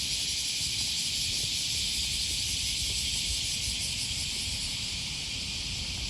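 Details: Unbroken shrill buzzing of cicadas on an early-August 2020 morning by the Okawa River near Sakuranomiya Park, Osaka, Japan, holding level throughout, with low city rumble and light steps below.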